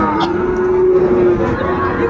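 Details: Calf at the traditional Ambari cattle market in Mymensingh, Bangladesh, on Monday 14 January 2025, where small bull and heifer calves are sold: one long, steady, even-pitched moo held about two seconds over a murmuring crowd.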